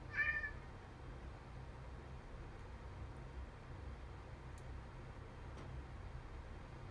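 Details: Domestic cat, one of two cats battling indoors, described as unusually angry, gives a single short, strained meow at the start, then near silence with a low steady background hum and a couple of faint clicks.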